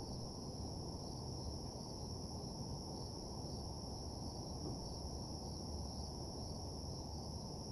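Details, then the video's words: Nighttime cricket chorus: two constant high tones shimmer without a break over a dense, steady low hum. "Nighttime Parking Lot Ambience (Cricket Sounds)"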